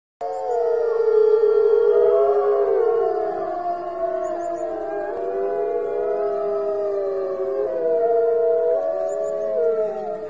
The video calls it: A Pack of Arctic Wolves Howling